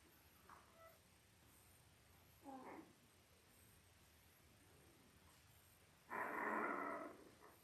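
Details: Labrador Retriever puppies at five days old, from a litter of eight born October 15, 2023 to Belle. Faint squeaks give way to a brief whine, then a louder, sustained nasal cry near the end; otherwise quiet.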